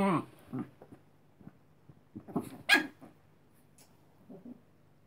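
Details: Chihuahua puppy, tired and wanting to sleep, telling another dog to go away indoors: low rumbling growls and short snapping barks in scattered bursts, one sharper yelp near the middle, quiet room between.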